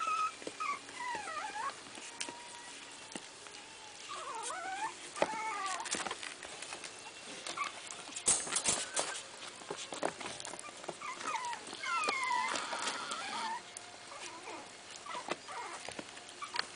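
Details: Chihuahua puppies testing everything with their teeth; high thin whimpers and squeaky rising-falling whines come in short bursts around seconds one, four and twelve, over steady rustling and clicking handling noise.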